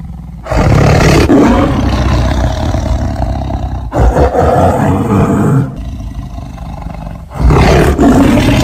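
A tiger gives deep, rumbling roars in long, throaty bursts with short pauses between them.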